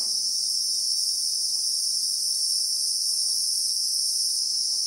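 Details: Christmas beetle (Anoplognathus) sound in South African acacia bush: a constant shrill electric-sounding buzz in two high bands, unchanging in loudness, with only faint soft ticks underneath.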